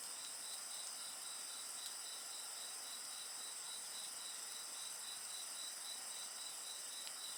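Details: A steady, rapidly pulsing high insect trill over a constant shimmering chorus, with only a few faint crackles from a bonfire.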